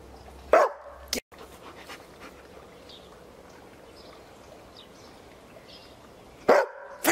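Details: Picardy Shepherd dog barking: one sharp bark near the start, a long quiet stretch of low hiss, then another abrupt bark at the end.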